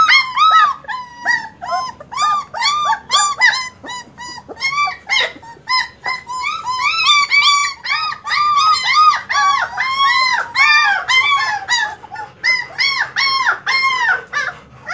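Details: Several German Shepherd puppies crying together in a dense chorus of high, arching whines and yelps that overlap almost continuously, with short gaps between bursts.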